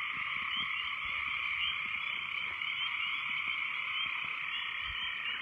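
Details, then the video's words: Very loud frogs calling after heavy rains: massed, overlapping croaks merging into a steady shrill drone with a rapid pulsing texture and no breaks. "What Do Frogs Sound Like"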